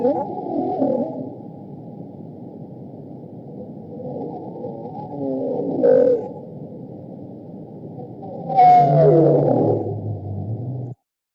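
Bowhead whale moans and sweeping tones, low and wavering, with a louder burst near the end.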